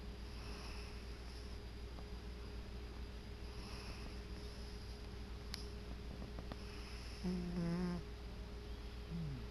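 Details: Male pet cat asleep on his favorite chair indoors, snoring softly: faint breathy snores roughly every three seconds, ending in a louder, buzzy, voiced snore near the end, over a steady low electrical hum.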